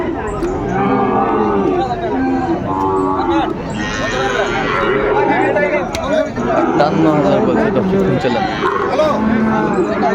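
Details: At a busy Munshiganj cattle market in Bangladesh, 28 February 2025, a Sahiwal bull gives drawn-out, rough moos that rise above constant human chatter and haggling.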